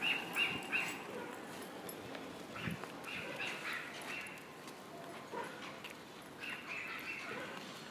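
An Alaskan Malamute gives high, whining yips and yowls in short repeated bursts.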